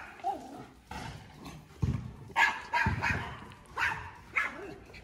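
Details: Male Alaskan Malamute barking to defend his territory when another dog shows up; about five deep, gruff barks in irregular bursts over five seconds, with a person speaking briefly beforehand.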